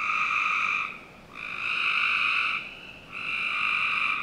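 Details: Frogs calling on a summer night in a Northern Virginia backyard: three steady, droning trills of about a second each, rich and buzzy, separated by short quiet gaps, over a soft background hiss.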